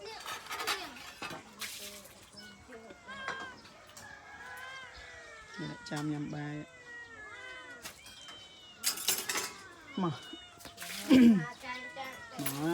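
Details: Abandoned domestic cats meowing: many overlapping, arching meows rise and fall in quick succession, mixed with people talking nearby and a few sharp clinks and knocks.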